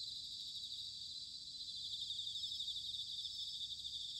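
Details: Bell crickets singing in autumn, recorded in Sanuki, Chiba, Japan: a dense, steady, high ringing chorus with a fine, rapidly pulsed shimmer that never stops, and a faint low rumble underneath.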